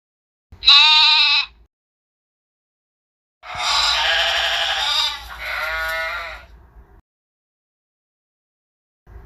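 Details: Sheep bleating: one short, high, quavering bleat followed by a longer, harsh, wavering bleat that trails off into a lower tremulous tail, with clean silence between calls and no other sounds.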